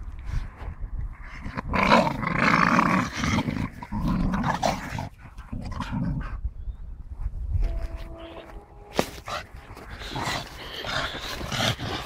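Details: Staffordshire bull terrier growling during play with a tyre: rough, low rumbling growls in bursts over the first seven seconds, then quieter scuffling and thuds of the tyre, with a brief tonal squeak near the eight-second mark.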